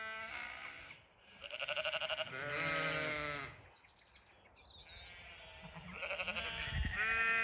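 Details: A few Zwartbles ewes on an Irish farm in County Kilkenny calling out at evening feeding time; rapidly trembling, vibrato bleats overlap, then a lull before more quavering calls resume.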